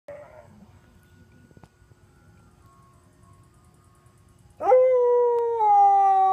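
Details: Sonny, a Siberian Husky, howling along as an ice cream truck makes its rounds through the neighbourhood; near-quiet for over four seconds, then a sudden loud, steady howl with rich harmonics that dips slightly before holding its pitch.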